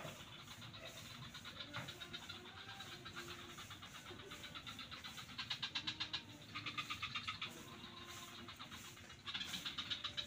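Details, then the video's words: Frogs calling in swamps at Kuta beach, Bali: rapid rattling pulse trains in bursts of about a second, growing louder toward the end, over a steady low background rumble. "The Sound Of Frogs in The Swamps"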